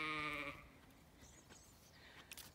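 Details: Zwartbles lamb, one of two escaped male lambs out of their field on a regenerative farm in County Kilkenny, Ireland: a single short harmonic bleat of about half a second, followed by quiet rustling.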